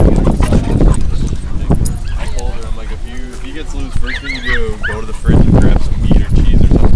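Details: Siberian Huskies mingling with Malamutes at the East Lansing Northern Tail Dog Park, Michigan; a wavering, howl-like woo-woo vocalization rises and falls over about three seconds, its pitch bending up and down, with people chatting nearby and park bustle.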